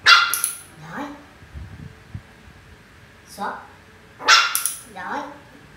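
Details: Poodle named Mun in basic at-home dog training with BossDog Center, Vietnam, learning over five days; sharp, ringing barks open the stretch and return midway in a quick pair, with a person's speech between them indoors.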